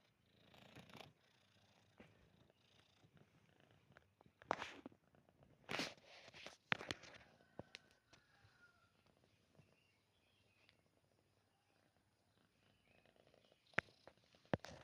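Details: Domestic cat purring while close to its owner: a soft, quiet, continuous rumbling purr broken by occasional louder rustling and handling bursts.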